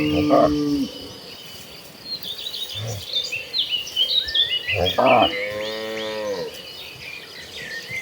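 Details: Cattle in a herd heading for green pastures: one clear falling moo near the end, brief lowing at the start, over busy high chirping of birds or insects.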